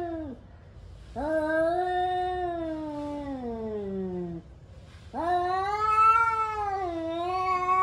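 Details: Angry male domestic cats warming up for a fight: two long, drawn-out wailing yowls, the first sliding steadily downward over three seconds, the second wavering and rising, each strongly harmonic, separated by a short quiet gap.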